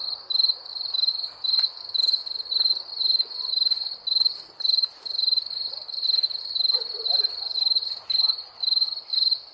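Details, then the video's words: Rhythmic high chirps from wild crickets, short pulsed bursts repeating about twice per second, with a few soft clicks and a gentle background hiss. "Wild Crickets"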